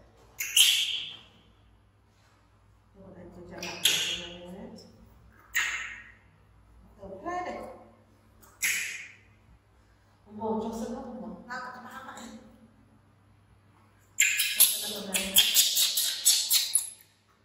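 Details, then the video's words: Infant baby monkey Bean, rescued by villagers from the jungle, screams loudly because he wants to follow his busy mother: harsh, shrill bursts of a second or two each, ending in a long sustained scream, with lower, tonal whimpering between outbursts. "Baby Monkey BEAN Screaming Loudly Cos He Want To Follow While MOM Busy."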